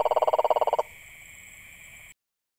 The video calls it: Unusual sounds frogs make HD 🐸